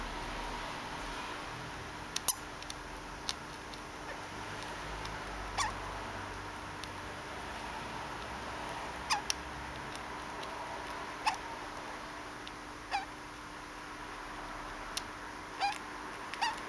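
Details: Pet degu named Conan, normally almost silent, squeaking 'kyu kyu' in what looks like hiccups after suddenly running off and being given a treat; brief sharp chirps spaced irregularly every two to three seconds over a quiet indoor hum.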